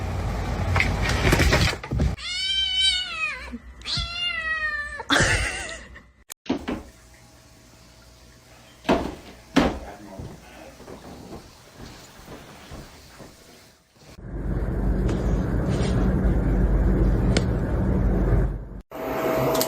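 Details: Domestic cat meowing indoors: two drawn-out, wavering meows with rising and falling pitch, then thumps, a quiet stretch and a long burst of loud rumbling noise.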